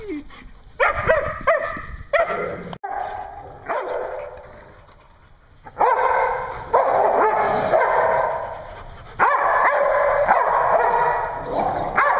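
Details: Dogs at a Hooksett, New Hampshire dog daycare on 01 02 2016 bark together in loud, dense bursts. Rough, noisy barks overlap into long sustained stretches, with a quieter lull near the middle before the chorus surges again.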